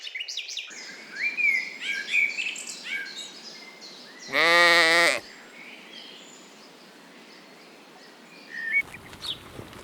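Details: Lambs out grazing in a cool green forest give a single loud, steady, quavering bleat of about a second. Scattered bird chirps sound before and after it.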